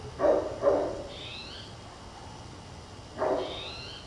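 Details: Distant purebred Great Pyrenees on a ridge above a town, barking loudly all day: two quick deep barks, a pause, then a third, with faint thin higher calls between and a hissy background.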